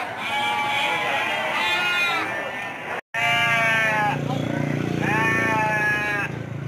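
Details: Bleating sheep at the Andir sheep market, Bayongbong, Garut, a market held Mondays, Thursdays and Saturdays; four long quavering bleats, each about a second, separated by short gaps, with crowd chatter and a low engine-like hum behind.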